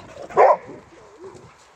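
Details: Male Boxer dog from Sweden in an argument with another dog over a toy, trying to establish himself as the alpha; a single short, loud bark-like burst, then a faint whine and a quieter trailing sound.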